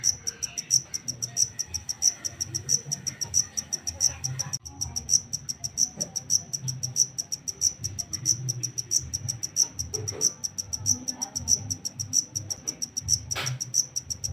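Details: Shrill repeated chirping of a wild-caught black cricket (takecit): bright high pulsed chirps roughly every 0.6 seconds, steady throughout, above low background rumble and a few scattered knocks and a brief scrape near the end.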